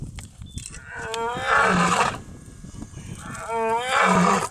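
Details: Huge white lion seen during a safari game drive. Two drawn-out, low moaning calls with rising harmonic tones, each lasting about a second, separated by a quieter gap.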